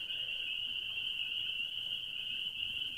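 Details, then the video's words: A loud chorus of many spring peepers at Gap Mountain Trailhead, merging into a steady, shrill, high-pitched ringing that holds without a break through the whole stretch. "Gap Mountain Trailhead Peepers"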